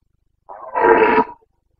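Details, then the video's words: Single hoarse bellow from a Carpathian red deer stag in the rutting season, Bucovina, September 2022, starting softly and swelling into a loud rough roar lasting under a second. "Boncănit / Carpathian stag Breeding season"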